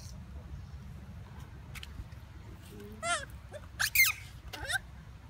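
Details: Hungry monkeys searching for food, giving three short shrill squealing calls with wavering, harmonic-rich pitch in the last seconds, separated by under a second each, after a quiet stretch with low background rumble.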